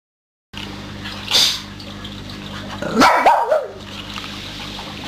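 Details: Dog playing with a new toy, giving a short high yelp around one and a half seconds, then a louder wavering whine near three seconds over a steady low hum.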